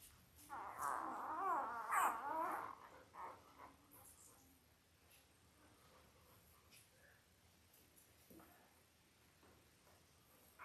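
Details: Five-day-old Labrador Retriever puppies from a litter of eight born October 15, 2023, indoors with their mother: a burst of wavering, high whimpers and squeaks over about two seconds, then faint scattered whines and quiet room noise.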